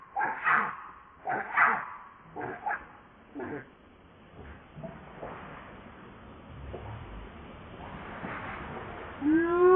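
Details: Baby monkey Leo whimpering and crying at its mother: a run of short rough cries in quick succession, fading into quieter sobbing, then a clear rising tonal wail at the close.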